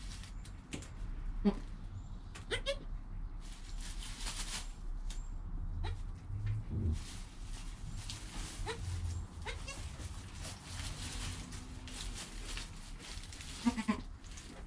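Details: Newborn goat kid Joel, recorded within an hour of his birth on a GoPro beside his calm mother Penny; short harmonic bleats break through steady low rumble and rustling, with a final bleat near the end.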